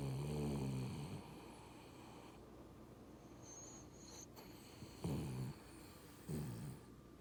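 A Boston Terrier snores in deep, rumbling breaths, each snort rattling low and coarse.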